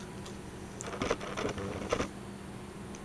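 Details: Soft clicks and taps, like typing or small objects being handled, sound in a quiet room. No animal call or growl can be heard.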